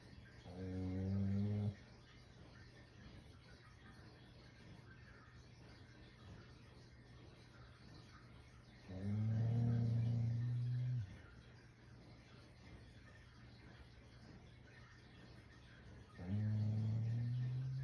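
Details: Shiba Inu fast asleep and snoring loudly, three deep rumbling snores roughly every seven seconds, each lasting about two seconds, with quiet stretches between them.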